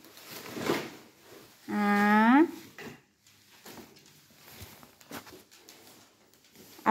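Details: A female Vizsla gives a short, rising, tuneful howl as her morning greeting.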